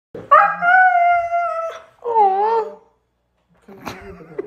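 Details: Siberian husky, a male dog, giving a drawn-out vocal howl with a steady harmonic tone for over a second, then a shorter wavering moan, a pause, and a rough grumbling sound at the end.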